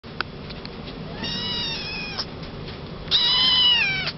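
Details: Male Maine Coon kitten born 27 July 2011, at a pet shop in Yokosuka, Kanagawa, Japan, gives two drawn-out, high, harmonic-rich meows, the second louder and slightly falling, separated by a short pause with faint background clicks.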